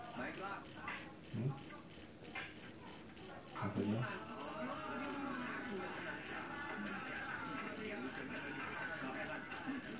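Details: Loud, piercing cricket chirps from a jangkrik jeliteng caught in a rice field repeat rapidly and regularly, near three per second, while faint muffled sounds drift in the background.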